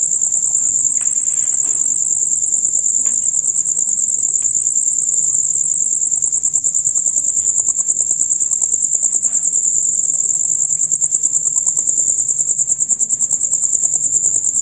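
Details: Male crickets chirping together in a loud, rapid, unbroken high trill, a sound usually heard from dusk until dawn. Soft scattered knocks and rustles sit low beneath the chorus.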